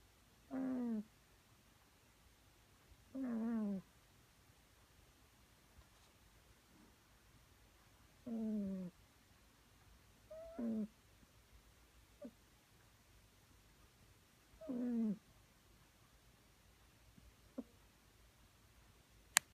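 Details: Pet cat sleeping and snoring at a gently cute volume: low rasping snore bursts roughly every two to three seconds, each short and even, with quiet room background between breaths.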